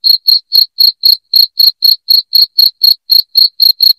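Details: Loud cricket chirping played to drive rats out of a house: sharp, high chirps about four per second in a steady, even rhythm, with a faint thin overtone above each pulse and no other sounds.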